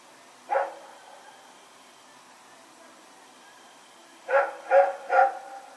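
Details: Single bark from Rex the dog, then a long pause before a quick run of three barks, recorded at night on September 21, 2018 as he ran around.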